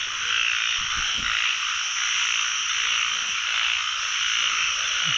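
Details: Narrow-mouthed frogs in a dense pond chorus during the year's first frog catch: a continuous, hissing wall of overlapping croaks with no gaps, steady in loudness throughout.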